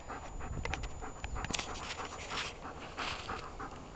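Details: Dog playing fetch in grass, searching for the thrown ball: rapid rasping panting breaths with some rustling and handling noise in the background.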